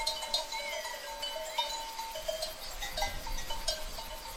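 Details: A herd of sheep (Ovis aries) bleating, many overlapping wavering calls, with faint bell-like ringing among them.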